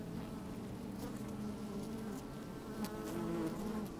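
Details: Inside an open beehive, sunny day: a dense, throbbing drone of busy honey bees, growing louder toward the end as a sharper, rising buzz sweeps through. Light clicking from bees crawling over the microphone.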